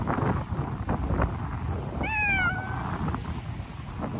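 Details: Stray cat in a park in Japan during a cold snap, winter coat grown in: a single clear meow with a quick rising then falling tone, lasting under a second, over steady low traffic or engine rumble.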